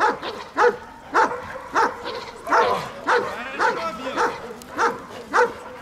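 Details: In Odessa, Ukraine, a German Shepherd trains as a bodyguard dog together with a Belgian Malinois, giving sharp, forceful barks in a steady rhythm of almost two per second, with faint voices behind.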